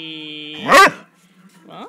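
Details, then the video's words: Basset Hound barking at a vibrating cushion indoors in a small room: one loud, harsh bark with a falling pitch, after a steady electric hum from the cushion, then a few quieter whiny notes. "Basset Hound 和 VSブルブルクッション"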